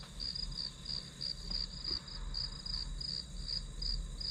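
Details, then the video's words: Grass insects trilling as study ambience: bright, rapid pulses at about three per second over a steady shrill whine, with a low hum in the background. "풀벌레 소리"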